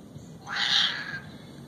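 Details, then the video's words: Fighting cats: one strained, high-pitched yowl of under a second, swelling then fading, over constant background hiss. "Cat fight"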